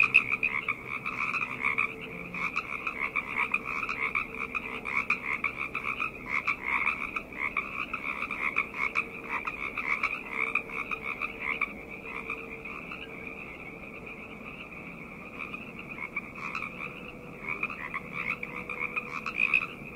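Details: A dense night chorus of frogs, tagged summer and forest, with many voices trilling and croaking together without pause.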